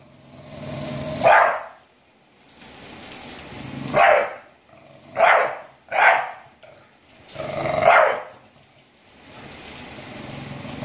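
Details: An English Bulldog barks at a harmless door, giving deep, hoarse single barks spaced irregularly a couple of seconds apart.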